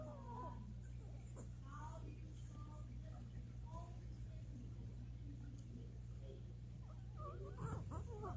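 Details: Male Maltese, seven years old, vocalizing in his sleep during a nap, with sounds compared to a horse: short, soft, squeaky whines in quick bursts early on, then brief faint squeaks near the end, over a low constant hum.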